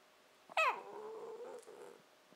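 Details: Indoors, 14-15-week-old Shiba Inu puppy Nanako "talks" back during a one-sided conversation; a sharp falling yelp flows into a drawn-out low rumbling growl-like moan lasting about a second.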